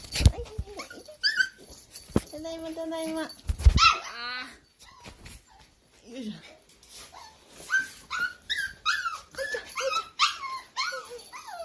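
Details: Two-month-old Toy Poodle puppy meeting a Pokémon toy, giving short high whimpering squeaks that rise in pitch, clustered in a quick run near the end, after a stretch of human speech and a buzzing, toy-like sound.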